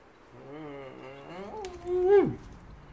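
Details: A 9-week-old Belgian Malinois puppy, woken by the gate bells, greets its owner at the door after work: a long tonal whine holding low, then rising and swelling into a louder cry that drops away sharply.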